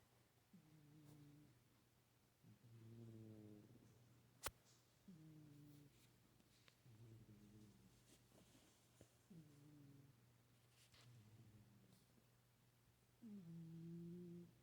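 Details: Pet cat Winston sleeping indoors, snoring softly; low, faint nasal breaths with a buzzy harmonic tone come about every two seconds, against a steady low hum and a sharp click.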